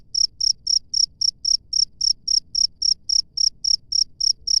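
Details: Wild cricket chirping outdoors, a steady series of high, shrill pulses repeated about three to four times per second, each chirp clean and even against a quiet background with no other clear sounds.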